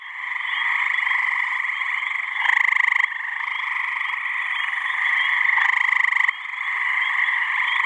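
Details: Dense chorus of male gray tree frogs calling to attract mates from a New Hampshire pond and swamp on a warm mid-May spring evening; continuous overlapping musical trills, with one loud nearby caller bursting out for about half a second.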